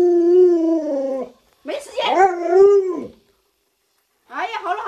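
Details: Alaskan Malamute named Luoluo, a household pet, holds a steady mid-pitched howl, pauses briefly, then yodels in wavering rises and falls before a short silence and another warbling burst.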